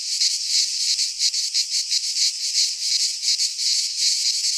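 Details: Cicadas of the Greek countryside in a midsummer pine forest: a loud, sizzling high buzz, beating in rapid, slightly uneven pulses close to three each second.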